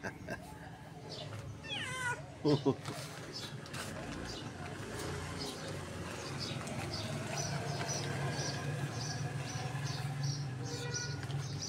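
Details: Female tabby cat calling while being fed; a couple of short, wavering meows early on, a person coaxing softly, then a long stretch of steady low background hum with faint, regularly repeated high ticking.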